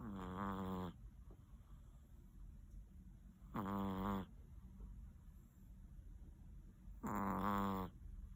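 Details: Large Chihuahua sound asleep in its cool bed at 7:45 in the morning: loud, rasping snores with stacked harmonics, each lasting about a second and repeating roughly every three and a half seconds, with quiet breathing between.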